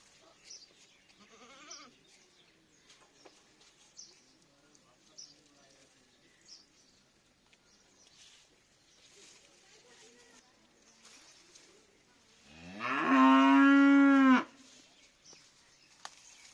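A goat gives one long, loud, deep bleat, drawn out and almost cow-like, after quiet background noise.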